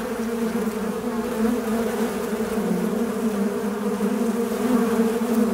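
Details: A fly's unbroken buzz: low, steady droning tone with a bright overtone band, pitch dipping and rising slightly as it flies.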